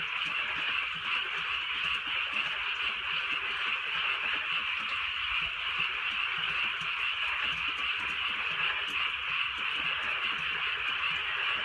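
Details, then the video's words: Rainy rural night with a continuous frog chorus: layered high-pitched croaking trills blend into a constant buzzing drone, while light drizzle and occasional faint drips sound beneath it. "개구리 소리"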